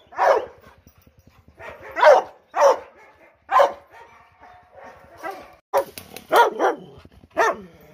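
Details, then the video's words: Dogs barking forcefully, eight or so separate loud barks with uneven gaps, some higher and yelping, others deeper, from a recording made to provoke a listening pet dog or cat. "PERROS ladrando FUERTE"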